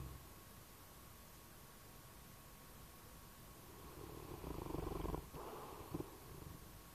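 A bloodhound snores in its sleep, giving a deep, rough rumble on the breath. After a few quiet seconds, one long snore is followed by a shorter one, each low and throaty.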